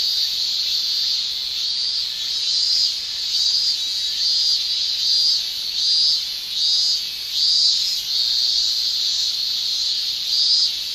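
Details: Shrilling male cicadas of a Japanese summer, sound made by tymbals; a steady high buzz carries brighter pulsing peaks roughly every second, like a throbbing whine layered over the constant drone.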